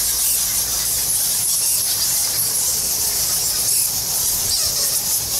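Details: Thousands of bats in the Goa Lawah temple cave in Bali, a dense, continuous high-pitched squeaking chorus with fine shrill chirps overlapping throughout and a faint low rumble underneath.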